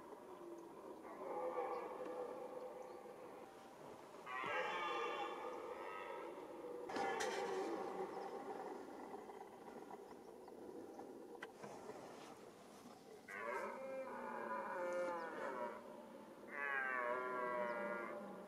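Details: Red deer roaring during the rut, the mating season: four loud, hoarse bellows of about one and a half to two seconds each, rich in stacked harmonics, separated by quieter pauses with low background noise.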